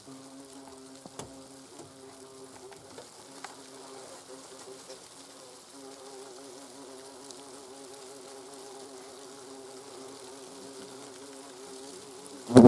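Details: Hornets at a nest in autumn, during the destruction of the autumn brood when young queens and drones have hatched; a steady low droning hum with wavering overtones throughout, ending in a sharp knock.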